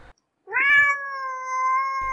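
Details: Domestic cat giving one long, steady meow that rises briefly and then holds a level drawn-out tone for over a second, clean with near silence around it.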